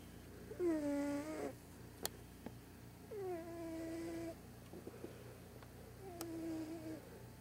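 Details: Large white deaf domestic cat loudly snoring during a morning snooze indoors; three drawn-out, tonal, harmonic snoring breaths, each falling then levelling off, about every two and a half seconds, with a few faint clicks between them.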